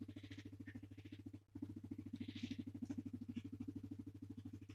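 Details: Pumpkin, a guinea pig, rumbling and purring while being stroked and petted: a low, steady pulsing purr, about three beats a second, briefly broken near the start, over a constant low hum.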